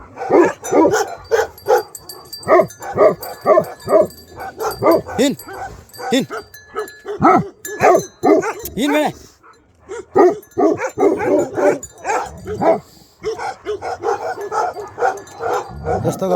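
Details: Bhote Kukur dogs in Nepal barking hard and fast in long volleys, a short quiet gap near the middle, with people talking and calling to them in the background.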